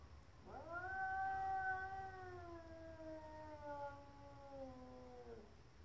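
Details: Stray neighbour's cat sitting outside, tail swollen, causing trouble: one long drawn-out yowl of about five seconds, rising quickly and then sagging slowly in pitch, rich in harmonics, over a low steady hum.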